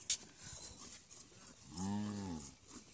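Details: Native deshi cattle from a Bangladesh–India border area: a single low, droning moo of under a second near the end, steady in pitch, over background noise and a brief clatter at the start.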